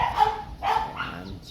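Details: American Bully named Ja-kol, outdoors in Pasita during a photo shoot, gives two short, hoarse barks about half a second apart, with background hiss.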